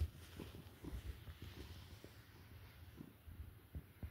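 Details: Relaxed, unwinding cat purring: a soft, low rumbling hum with gentle pulses repeating roughly every half second, quiet and steady throughout, faint handling noises in a small space.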